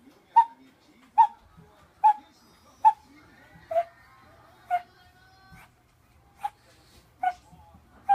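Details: A blind 14-year-old Shih Tzu with terminal cancer and seizures, near death, gives short, high whimpering cries, a little more than once a second; recorded 28 October 2017.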